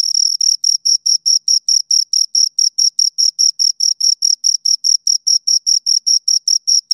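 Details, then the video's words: Two crickets produce a clean, rhythmic series of high-pitched chirps, roughly two and a half per second, bright and tonal with a faint overtone, and no background noise. "Two Crickets Chirp Sounds"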